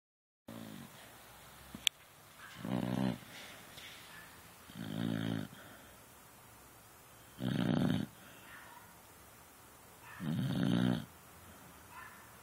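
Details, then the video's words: Beagle snoring while asleep on a couch indoors: low, rasping breaths with rough buzzy texture, repeating about every two and a half seconds, five snores with quiet gaps, a faint click near the start. "Snoring Beagle"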